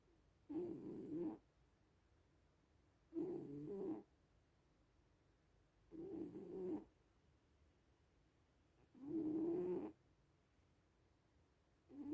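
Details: Snoring from a sleeping little cat: five rough, low-pitched inhalations under a second each, recurring at a regular interval of roughly three seconds, nothing else audible.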